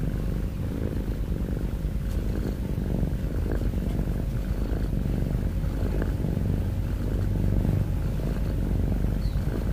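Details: Pet cat snoring with heavy breathing, a continuous deep vibrating drone made of quick pulses, level and unbroken from start to finish, with a few faint clicks above it.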